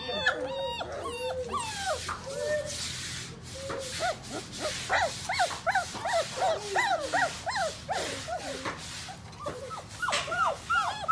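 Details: Doberman Pinscher puppies offered for sale, a litter whining and yelping together in high, rising and falling squeals, many overlapping short cries packed closely, with brief louder bursts throughout.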